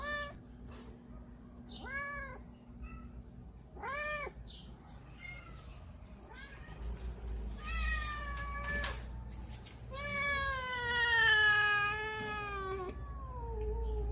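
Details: Hungry domestic cats asking for food in the morning: short arched meows at first, then a cluster of quick calls and a long, drawn-out wavering meow near the end, with a faint hum beneath.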